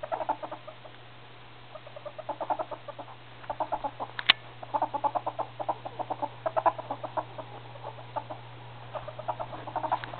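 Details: Male ferrets (hobs) hitting puberty: rapid soft clucking chuckles in quick bursts of pulses, clustered in short runs with brief gaps and one sharp click, over a steady low hum.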